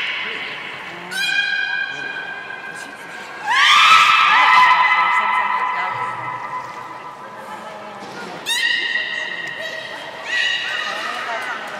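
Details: Belugas at Port of Nagoya Public Aquarium, 27 January 2019, during playtime after feeding: clear rising and level whistles with rich harmonics, several separate calls spaced across the recording over a quiet hall background.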